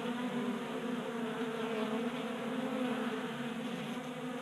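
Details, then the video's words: Honey bees feasting at a table-top feeder in a Colorado garage during warm January weather; dense constant buzzing with stacked humming tones, even in loudness throughout. "45 Minutes of Honey Bees Feasting from 3D Printed Bee Feeder"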